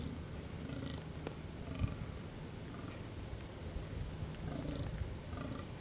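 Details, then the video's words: Rutting fallow deer in the Amsterdamse Waterleidingduinen, Netherlands, during the fighting season. A steady series of low, hoarse belching groans repeats roughly once a second, with faint higher chirps in the background. "Damherten in bronst"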